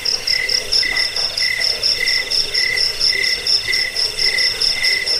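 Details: Cricket sound offered to chase off rats, ease sleep and serve as a model for training birds: rhythmic chirps about twice each second, each slightly drawn out, above a continuous high shrill pulsing trill.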